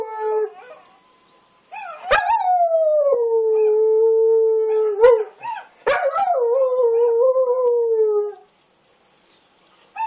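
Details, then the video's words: A little dingo-kelpie mix dog, howling along at a video of other dogs, gives long, steady howls that rise sharply, then hold a level pitch before sagging at the end. "Our little dingo, kelpie mix howling at a youtube video of other dogs"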